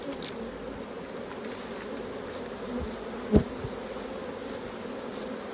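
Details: Honey bees at a hive being opened for raw honey harvest give an unbroken, low, even hum. A single sharp knock sounds just past the third second.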